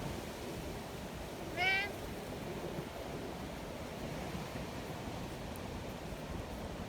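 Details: Community cat in the mountains during a violent windstorm, checked on because of the storm; one short, rising then falling meow rings out once, then steady roaring wind fills the rest.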